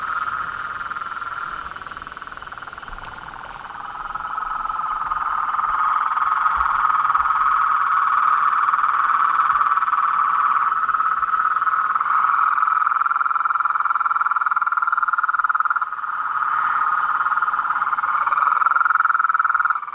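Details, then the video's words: Chaotic nightly symphony of frogs, toads and treefrogs at a pond by a house veranda: continuous loud trilling chorus swelling after a few seconds, layered higher buzzes, a brief dip near sixteen seconds. "A SINFONIA DOS SAPOS, RÃS E PERERECAS"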